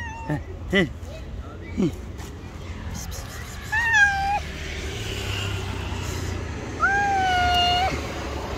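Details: Stray street cats, an angry white cat and a rival tabby, square off: long drawn-out harmonic yowls held at a steady pitch for about a second, with short sharp cries earlier, over a low rumble of traffic.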